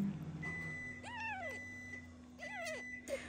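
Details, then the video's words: Two arched, slightly wavering meows about a second apart from Michael, a miraculously surviving kitten being syringe-fed because his foster mother lacks milk; a faint steady tone and low hum sit underneath. "Feeding the miraculously surviving kitten Michael."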